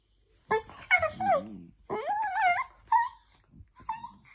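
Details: Playful miniature dachshund giving a run of high, tonal whimpers and yips, the notes bending up and down in short bursts, the last two shorter and flatter, with a faint low murmur underneath.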